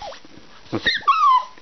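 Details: Toy Poodle demanding treats on a rainy day: a couple of soft huffs, then a drawn-out, high, slowly falling whimper.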